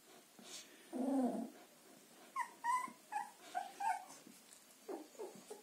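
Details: Young Border Collie puppies, litter dated 14 March 2021 from Wiki and Crystal Mountain, let out a drawn-out nasal whine, then a run of short rising and falling yelps and squeals before quieter whimpers.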